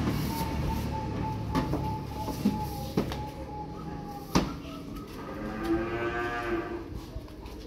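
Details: Newly arrived calves and adult cattle, a new stock delivery: a long harmonic moo rises around 5.5 to 7 seconds, preceded by a steady tonal hum and sharp knocks and clatter from the pen.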